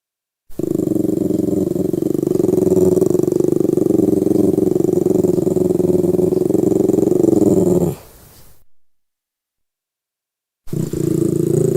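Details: Lhasa Apso growling in a long, steady, rumbling snarl of about eight seconds. The growl breaks off, and after a short silence it starts up again.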